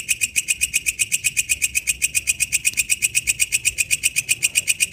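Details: Wild katydid singing in its natural habitat: a high, buzzy, rasping pulse repeated very regularly about four times a second, steady in volume throughout, over a faint low background rumble.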